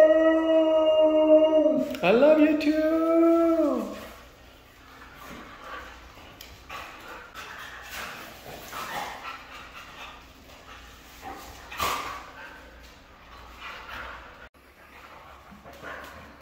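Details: Red female Siberian Husky giving a loud, drawn-out harmonic howl that dips, wavers and bends across about four seconds, then softer scattered yips and rustling at low level for the rest.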